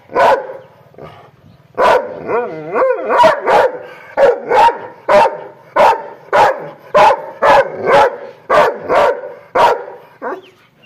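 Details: An angry dog barks in a long, rapid run of loud, clipped barks, with a wavering growl-like sound between early barks before the barking settles into a fast, even rhythm.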